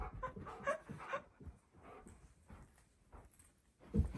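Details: Siberian husky shouting at its owner in a room: short, wavering whine-yowls in a quick run, then softer breathy grumbles and a final louder syllable.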